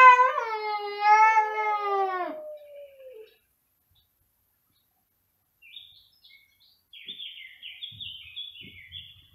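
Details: One of two domestic cats meowing very loudly: a single drawn-out meow with a wavering pitch that fades over about two seconds, then near silence with faint scratchy high sounds and soft low knocks.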